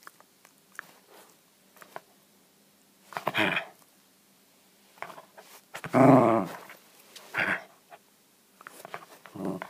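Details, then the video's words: West Highland White Terrier at play indoors, keen to play yet keeping the ball; a few short growls separated by quiet stretches, the loudest burst in the middle, with light handling noises. "Westie wont play ball"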